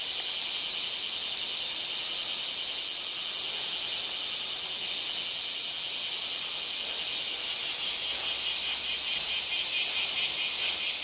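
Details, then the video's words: Continuous shrill cicada buzzing, thick and high, with a faint rapid pulsing creeping into the drone toward the end; no other voices or noises stand out. "セミの抜け殻＆蝉の声 cast－off SEMI Cicada chirp"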